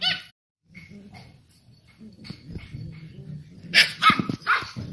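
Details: Two-month-old Samoyed puppies from one litter, born 16 May 2018, playing together: soft scuffling and quiet low grumbles, then a burst of sharp, high yips and barks near the end.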